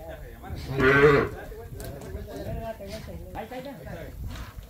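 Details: Calf in Campeche, Mexico, recorded 20 August 2022 while people help calves; one loud harmonic moo lasting about half a second, followed by Spanish speech and farmyard noise.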